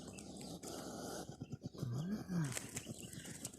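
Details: A small hedgehog that wandered into a garden hisses and huffs in short, breathy, pulsing bursts to scare off a person nearby.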